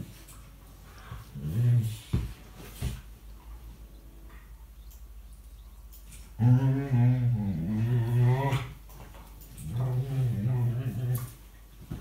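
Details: Playtime talk from Tia, a rescue dog more given to chatter than barking, with Sandy in 2018: short low grumbles early, then a sustained two-second warbling moan and a later wavering growl, amid indoor scuffles and a faint voice.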